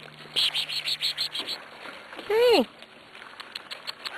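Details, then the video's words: Six-week-old Corgi puppies, recently weaned and eating dry food, give a quick run of short high yips followed by one loud arched, whining yelp. Soft human voices are heard in the background. "Corgi puppies"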